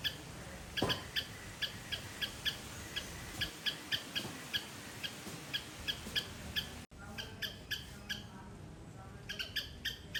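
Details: In a Sri Lankan garden, a squirrel calls loudly with sharp, clipped, bright high chirps in a quick, even series, several each second; a brief break, then the rhythmic chirping resumes over a low background hum.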